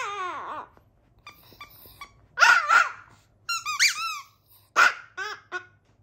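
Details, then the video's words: Chihuahua kept as a pet howls indoors: a falling whine opens, then a run of high, yelping, wavering cries in short bursts with quiet gaps between them. "Chihuahua Cedric Howls An Ode To My Octopus Teacher"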